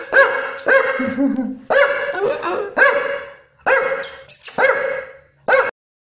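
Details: Shih Tzu barking at close range: seven sharp, ringing barks in about six seconds, spaced irregularly, with a brief low whine between the first barks and a quiet indoor background.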